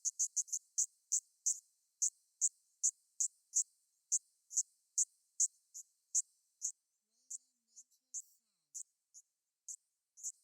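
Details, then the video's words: Kaempfer cicada (niinii-zemi) modulated song broken into short, sharp, high buzzy pulses, about two to three per second, fast at first then spacing out and fading irregularly; otherwise quiet. "転調音 ニイニイゼミの鳴き声"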